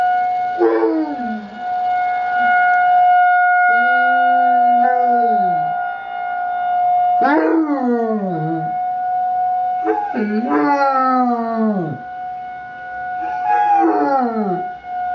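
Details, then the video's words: Basset Hound puppy named Alvin howling along with a weekly emergency test siren: a run of long, drawn-out howls that each fall in pitch, separated by short pauses, over the steady droning tones of the siren. "Awesome Alvin Howling"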